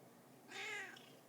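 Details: Female house cat indoors, out of food and coming to fetch her owner to be fed: a single soft meow, about half a second long, with an arched, harmonic pitch that rises then falls, against quiet room tone.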